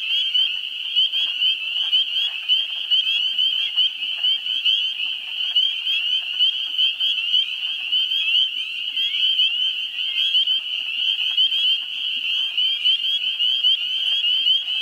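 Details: In a New Hampshire swamp during April's first week, a spring peeper chorus rings steadily and densely throughout. Faint, rapid low clucking from wood frogs runs underneath the high piping.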